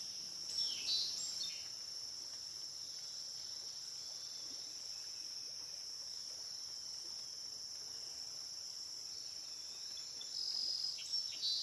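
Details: Steady high-pitched insect drone at the Licking River in Morning View, recorded dusk to dawn; the whine swells briefly near the start and end, otherwise an even shimmering hiss.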